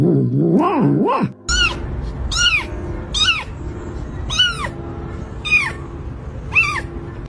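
A domestic cat gives a string of short, arching meows, each rising then falling, about once a second.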